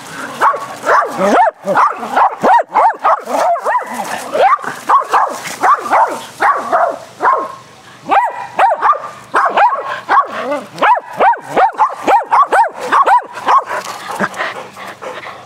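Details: Excited dogs in a rough game of fetch on a spring day keep up almost nonstop, fast yappy barking for the whole stretch, broken only by a short pause in the middle.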